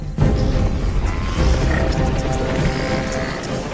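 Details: Dramatic orchestral music with heavy booms and crashing impacts fills the whole stretch, with no animal voice heard.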